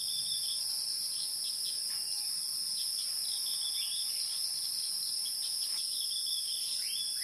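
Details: Wild insects hum in a bright, unbroken high drone, overlaid by quick short chirps and a few sliding whistles from small birds.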